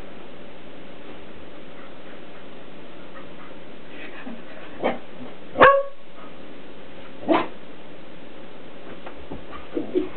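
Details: Indoor play between Shetland Sheepdogs Krystal (ten) and Kita (nine) over a cat toy, with a cat dodging them. After a quiet start come three separate barks over about three seconds, the middle one loudest, then faint taps.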